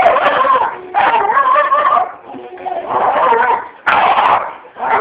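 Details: Pet dog barking indoors at dogs on a television, a run of loud, rough barks in long overlapping bursts with sharp fresh onsets near one and four seconds, mixed with television sound and voices.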